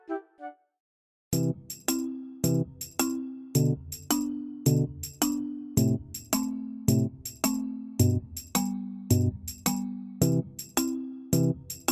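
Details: Brief chime opens, then an evenly pulsed synthesized beat with bell-like tones repeats steadily, with no animal sound.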